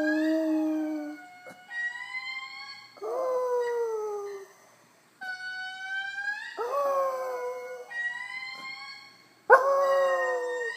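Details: Indri lemurs in Madagascar give their morning territorial song, long, loud wailing notes that swoop and slide downward and tell other groups to stay away, with a dog howling back along.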